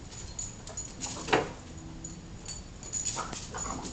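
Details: Two nine-month-old dogs, Hayley and Audrey, playing keep away; a single brief, high, tonal whimper-yelp rings out midway, surrounded by soft scuffling, rustling play noises and a steady low background hum.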